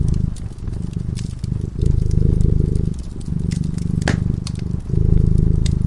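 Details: Fireside cat in peaceful slumber, purring in a soft, deep, pulsing drone that breaks briefly between breaths, accompanied by scattered crackling and one brighter pop from the flames.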